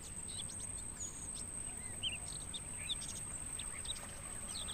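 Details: Mangrove forest crickets, used as training audio for songbirds, keep up a continuous shrill even-toned trill with no pauses, while short bird chirps and twitters break in here and there against a low background hum.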